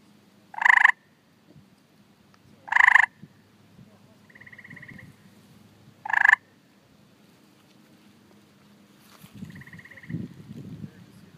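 A tree frog gives loud, harsh chirps every couple of seconds, calling for mates.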